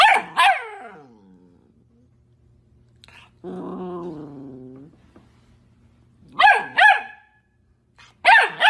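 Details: Puppy barks in short sharp pairs at the start and near the end, with a drawn-out whining, harmonic-rich cry in between and quiet gaps.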